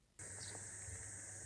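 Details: A cicada in the Japanese countryside in summer, recorded on a walk. Its loud, unbroken high buzzing drone starts suddenly and holds steady over a low rumble.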